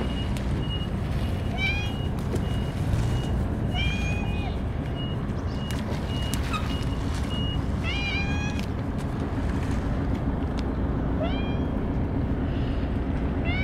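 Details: Several stray cats crowd around during a Churu feeding; repeated short, bright meows come every few seconds, some overlapping, over constant low engine-like rumble and faint regular beeping.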